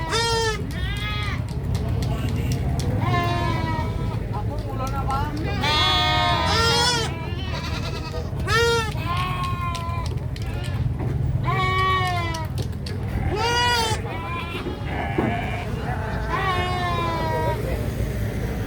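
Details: Several goats bleat and scream in rapid, overlapping succession, with some loud, shrill, quavering cries and some lower, shorter bleats, almost continuous throughout, over a constant low rumbling hum.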